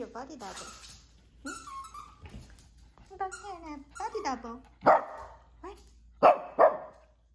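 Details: Maltese dog. Wavering, pitch-sliding vocal sounds open the sequence, possibly whines or human speech in a small room. A Maltese dog then lets out three short, sharp barks near the end, the last two close together.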